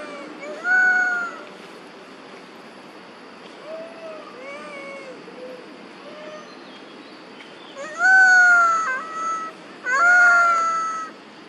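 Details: Two monkey mothers, Duchess and Queen, call for their baby Quinton: an opening cry, several softer short rising calls, then two loud wavering harmonic cries near the end, one dipping mid-call.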